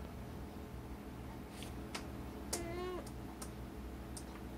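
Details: Pet cat Lou, being scolded indoors for eating a foreign object, answers with one short, flat, nasal meow lasting about half a second, amid a few sharp clicks and a low steady background hum.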